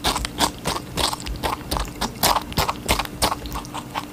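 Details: A rabbit chews watermelon with quick, wet crunching bites, about three each second.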